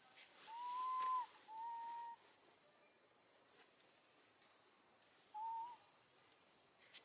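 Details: A young female monkey cries for her mom while left with her gentle grandma. Two smooth, whistle-like wails come close together, then a pause of several seconds before a shorter third cry, against a faint constant high hiss.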